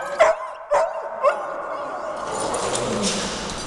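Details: Big dogs greeting at home: three sharp, loud barks about half a second apart, then a person's voice and low household noise.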